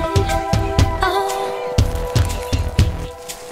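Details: Music plays with regular low thumping beats and sustained tones, and no animal voice is heard.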